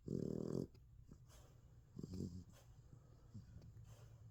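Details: Sleeping, dreaming American Bully puppy on its first night in the bed gives one loud breathy snore, then faint snuffles and small whimpering squeaks against a quiet indoor background.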